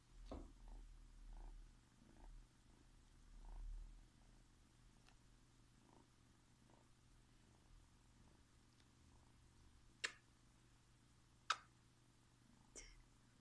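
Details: Tiny red kitten purring, born February 2017, one of a litter of four, being held by its owner; soft low purring pulses roughly every second and a half, fading after four seconds, then a few sharp clicks near the end.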